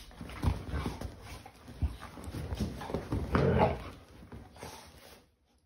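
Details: English show Cocker Spaniel and Labrador Retriever playing games together on a sofa at home, giving low rumbling growls and grunts in rapid bursts, with rustling of bedding, fading to quiet at the end.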